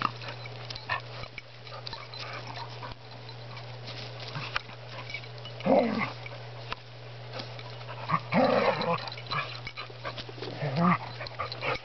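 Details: Two dogs, Spruce and Griffin, wrestling indoors; short rough growls break out in three bursts near the middle and end, with scuffling between them over a steady low electrical hum.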